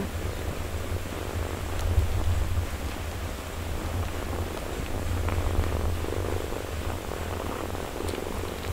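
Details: Mother cat nursing and caring for her four-day-old kittens purrs steadily throughout, a continuous low rumbling drone with a gently pulsing rhythm and no other calls.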